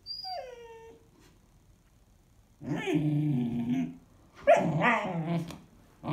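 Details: Standard Poodle puppy, 16-week-old female named Bunny, indoors, overtired and restless at bedtime: a high thin falling whine, a pause, then two long grumbling growl-moans, the second rising into a higher yowl.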